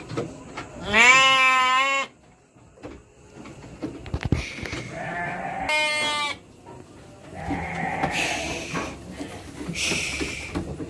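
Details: Garut petet sheep, about three months old, during shipment to Purwakarta, Indonesia; a strong quavering bleat opens, followed by several shorter, higher bleats from other sheep amid clattering noise.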